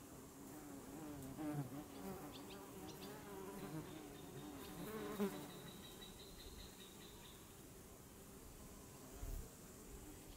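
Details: Honeybee buzzing: a steady, slightly wavering wing hum with a low tone and a brighter overtone. It swells and fades as the bee moves about, with quieter stretches toward the end over soft background noise.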